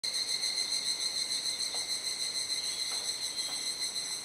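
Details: Evening chorus of cicadas at dusk in Kuji, Iwate Prefecture, Japan, 17 July, during the rainy season, around 19:11–19:25: a dense, steady, shrill metallic drone with strong high tonal bands, pulsing slightly, few other sounds.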